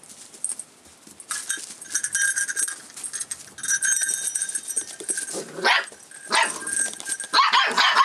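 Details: A Rough Collie puppy aged 44 days, filmed 25 February 2012, reacting to changes in its surroundings. Short rising yelps break through in the second half over a steady clinking, rattling background.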